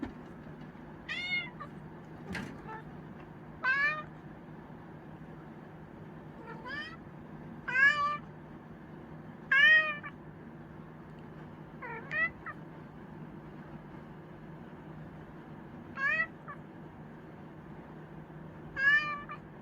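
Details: Chinchilla cat meowing repeatedly: about ten short, wavering meows at uneven intervals, plus a single sharp knock near the start, over a constant low room hum.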